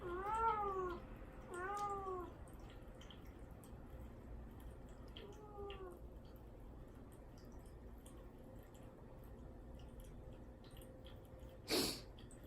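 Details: Young cat Mame Daifuku, isolated in a cage and kept without food or water ahead of castration, calls to get out: three plaintive descending meows in the first six seconds, then quiet with a single sharp knock near the end.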